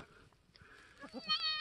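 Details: Newborn F4 mini Alpine buckling, black with white frosted ears and nose, born March 13, 2021 on a homestead; a short, high, clear bleat with stacked harmonics rises out of quiet background in the final half second.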